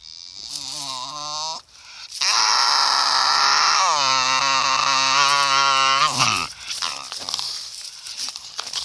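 A Staffordshire Bull Terrier makes drawn-out, wavering whine-groans, rising and sagging in pitch over several seconds. Rough, rustling noise fills the gaps between the calls.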